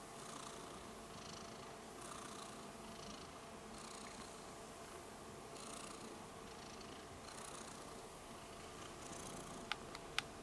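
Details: Pet cat Rudolph the Red-Nosed Kitten gives a sweet, sustained purr; an even rumble rises and falls with breathing about every one and a half seconds, with two sharp clicks near the end.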